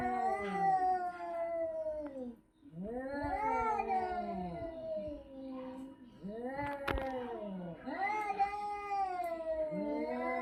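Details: Cat giving a strange vocalisation: long drawn-out wailing yowls with rising then falling pitch, four bouts over ten seconds separated by short pauses, indoors, with a brief click near the middle.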